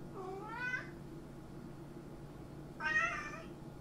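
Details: Pet cat uttering two short, strained meows nearly three seconds apart, each rising then falling, over a steady background hum.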